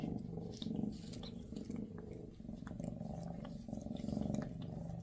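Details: Maine Coon Freya and her kittens share a final day before the kittens go to new homes; a low, even purr pulses in rhythmic waves with soft rustling in the background.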